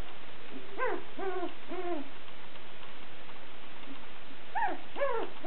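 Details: Two-week-old Sussex Spaniel puppies, female, give a few short arched whimpering squeals with rich harmonics, two bursts of three separated by a quiet pause, against steady low background hiss indoors.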